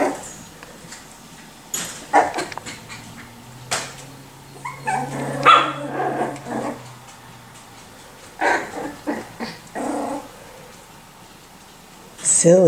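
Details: Young Miniature Schnauzer puppies, aged 4 and 6 weeks, from the Custards & Puddings litters: sharp short yips and small puppy barks scattered through the recording, with a low steady hum midway and some knocking and scraping sounds.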